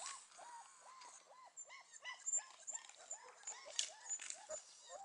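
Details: Four-week-old Beauceron puppies in a kennel whimpering together. High, arched whines rise and fall in quick succession and overlap in a steady chorus of thin cries. Brief sharp whistles and a faint human voice are heard in the background.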